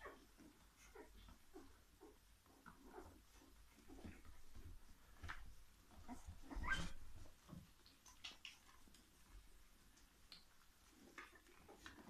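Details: English Springer Spaniel puppies from Tango's C litter, heard as faint, scattered whimpers and soft squeaks, with a louder cluster of noises midway through, set against a quiet indoor background.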